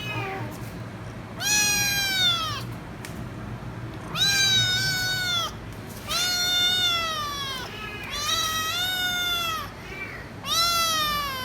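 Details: Noisy kitten meowing loudly and persistently, refusing to stop until given head rubs; five long, loud, bright meows, each rising then falling, spaced roughly every two seconds over a steady low background hum.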